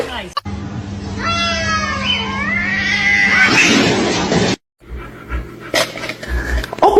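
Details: A kitten's long, strained meow wavers and bends upward, then breaks into a harsh, noisy rasp lasting over a second. A steady hum runs underneath. Scattered voices and clatter follow after a brief silence.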